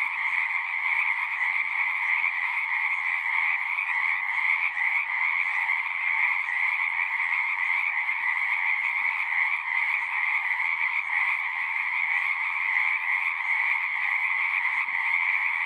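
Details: Dense chorus of singing frogs, a relentless layered trilling that never breaks, bright and high with a fuller lower tone beneath, level and even from start to finish.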